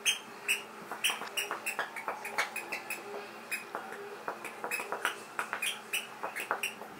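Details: Leroy, a pet Kerry Blue Terrier, pants when he wants to play: quick breathy bursts of sound come about two or three times a second with a steady rhythm, over a faint steady indoor hum.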